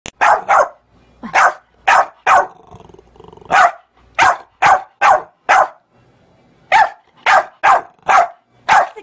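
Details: American Bully puppy barking in a rapid series of short, sharp yaps, often in pairs or triples, with brief quiet gaps and faint background noise between bursts.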